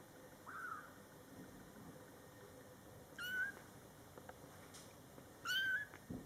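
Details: Scottish Fold kittens in their first month, born July 22, 2012, with their mother cat nearby: three thin, high meows, the first short, the next two longer with a slight rise and fall, spaced about two seconds apart over a quiet indoor hush.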